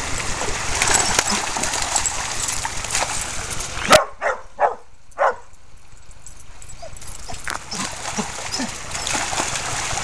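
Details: Brule, a red and white purebred male Australian Shepherd aged one and a half, at Bear Creek Dog Park where he plays in the creek and herds other dogs; three short, sharp barks in quick succession midway, framed by steady rushing-water noise.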